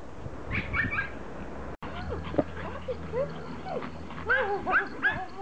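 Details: Pomeranians greeting their owner in a happy reunion after she returns from vacation; high whining whimpers and short yips with curving pitch, several overlapping, between bursts of human voices.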